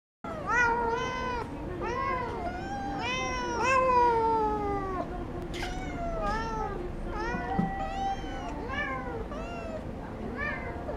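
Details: Several kittens meowing together just before dinner, a crowded chorus of overlapping rising-and-falling meows, some drawn out and wavering, others short and plaintive, continuing without pause throughout.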